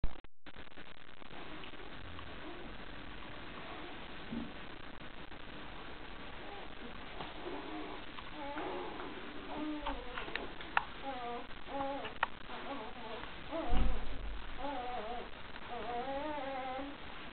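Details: Two-day-old puppies of the Nordic Giant's D-litter, indoors while feeding, give wavering, high whining squeaks in short bursts, which grow more frequent in the second half, over soft low rustling and shuffling.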